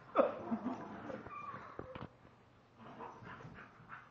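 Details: Play fighting dogs, a male Shiba Inu and a female Chinese Pug, wrestle; a sharp loud yelp opens, followed by scattered short growls, snorts and thumps of movement fading into quieter grumbling.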